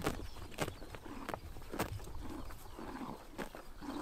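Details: Close bites of horses pulling grass on a sunny summer morning in Mongolia: bursts of crunchy ripping about every half second, with softer chewing between them.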